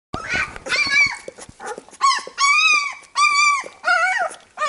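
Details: Labrador Retriever puppies, being cleaned by their mother after nursing, give high, tonal whines and squeals, some rising and falling, in bursts of about a second.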